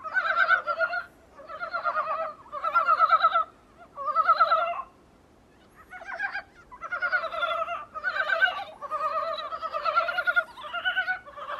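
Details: Dybowski's brown frogs heard through a small room's window: repeated bursts of quick, rattling, harmonic croaks, first spaced and regular, then denser and overlapping as several callers join in.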